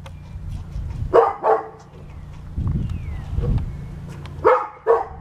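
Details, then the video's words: Pet dog arguing with an angry squirrel lets out two pairs of quick barks about three seconds apart; soft low rumbles fill the pause, under a steady background hum. "Dog Arguing With A Squirrel"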